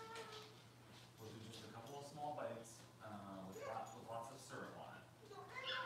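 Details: Six-week-old Cavalier King Charles Spaniel puppies from Robin's litter, indoors while being dewormed and having toenails trimmed, give high, tonal whining cries and short yelps in uneven bursts, overlapped by people talking nearby.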